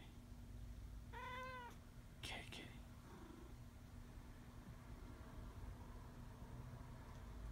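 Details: Talking male cat that sleeps on his back, giving one short arched meow with stacked harmonics, followed by a brief rustle or click, then a faint low murmur over a noisy background hum.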